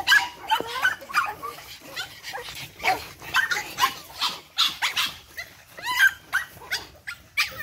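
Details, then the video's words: A litter of energetic 8-week-old Boston Terrier puppies from Charm's litter, yapping in quick, high, overlapping barks and yelps, several pups calling over one another in a busy jumble. "Energetic Boston Terriers. Charm's 8 wk old litter."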